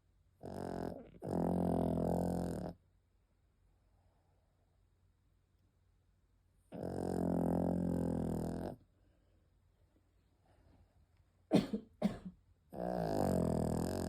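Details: Penny the dog snoring in her sleep: three drawn-out, gravelly rumbling breaths roughly six seconds apart, preceded by a short snort, with a couple of sharp clicks or taps near the end.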